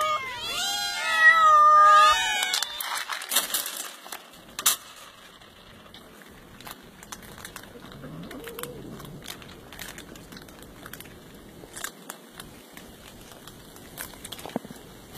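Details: Domestic cat meowing: a single drawn-out, wavering meow near the start, rising then falling, followed by quiet rustling and faint clicks for the rest of the clip.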